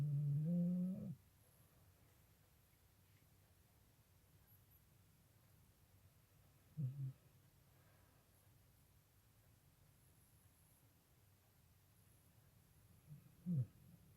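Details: A fast-asleep American Bully snores loudly at first with a long, low, rumbling drone. Two shorter, fainter snorts follow several seconds apart in a quiet room.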